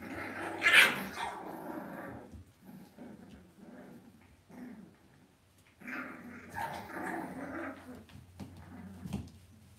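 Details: Playing Cavalier King Charles Spaniel puppies in an indoor home pen make a jumble of rough growls, grumbles and high yips, with one sharp squeal early and steady low background hum throughout.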